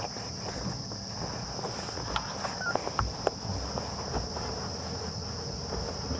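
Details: Cicadas keep up a steady, high, shrill drone on an afternoon safari drive near sunset in the greater Kruger National Park, 14 September 2015, over a low vehicle-engine rumble and scattered clicks and taps.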